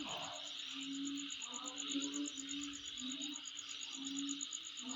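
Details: Insects calling at the recorder's home: a steady high hiss with a fast, even pulsed trill above it, under low tonal hoots or hums that come and go about once a second.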